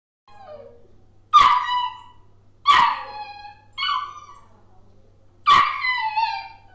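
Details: Labrador Retriever puppy barking: four high, yelping barks with rich harmonics, spaced roughly every 1.3 seconds, the first preceded by a short falling whine, in an otherwise quiet setting.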